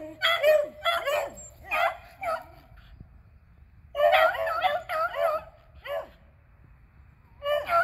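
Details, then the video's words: Beagles Athena, Zeus and River, two eleven-year-olds and a three-year-old, on a squirrel hunt, April 21, 2020; clustered howling yelps from more than one dog, a quiet gap of about a second, then another loud burst. "Beagles Hunting Squirrels"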